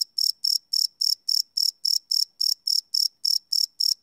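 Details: A cricket at night, recorded live in the field, gives clear high-pitched trilled chirps, each a short buzzy burst, repeated about three times a second in a regular beat against a silent background.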